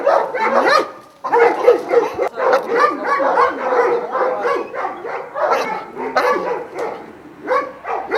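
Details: Several Šarplaninac dogs of Vujanski lineage barking together at a kennel in Jasika near Kruševac; overlapping, hoarse barks in irregular bursts with brief lulls after the first second and near seven seconds.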